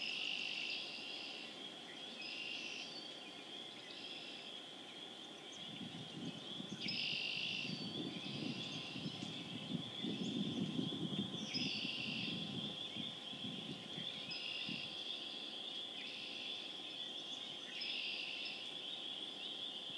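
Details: Spring peepers calling in chorus on April 27, 2011, in Harvard, Massachusetts: a dense band of high, overlapping peeps that swells and fades, with a low rumble of background noise between about six and fifteen seconds.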